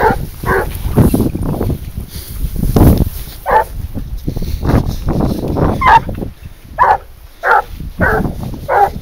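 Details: Garuo, a 22-month-old hunting dog, working on a leash while trailing wild boar outdoors. It gives about eight short, sharp barks at uneven intervals, some close together, over a steady low rumble of wind.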